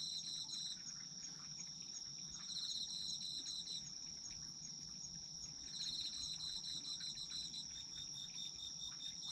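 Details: Autumn insects calling together, a chorus for sleep: a steady high continuous trill runs throughout, with bursts of rapid pulsed chirping a little lower coming and going in phrases of a couple of seconds.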